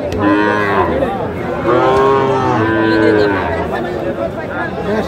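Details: Lowing from Sahiwal bull calves at the Aftabganj cattle market, 28/9/25, with Dhaka farmers buying. Two or three rich, harmonic moos follow one another over about three seconds, with a steady background of market bustle.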